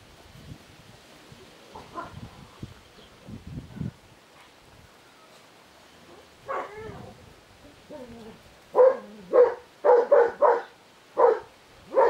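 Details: Puppies of the Ruffleups litter, born 20 March 2017, give soft low whimpers early on, then a burst of sharp, high yaps in quick irregular succession near the end, about two per second, against a quiet room.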